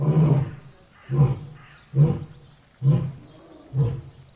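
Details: Five deep, breathy lion grunts about a second apart, fading slightly in strength, low rumbling with a faint hiss of background noise between them.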